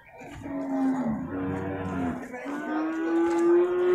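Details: Lowing from beef cattle at the Purwakarta animal market, 15 July 2024. A long, wavering moo slides slightly down, then a second one rises and swells in loudness, over a background of voices.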